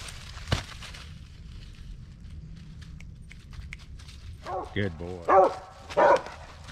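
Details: Original Mountain Cur squirrel dog treeing at the last hour of daylight among black walnuts and hickory flats: a few loud, hoarse barks in the final two seconds, after quiet woodland with footsteps and a man speaking.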